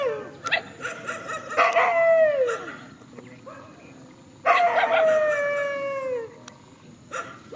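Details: Two bouts of sound from countryside dogs facing each other in a field. Each starts with sharp yelps and ends in a downward-sliding howl, with a quiet pause between the bouts.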